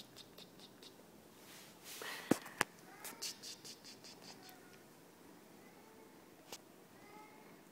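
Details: Siberian cat Yerik, a gentle, confident male, enjoying a tummy rub and play 15 minutes after first arriving home; soft, short chirping mews with rising harmonics come in a run mid-clip and again near the end, after two sharp knocks.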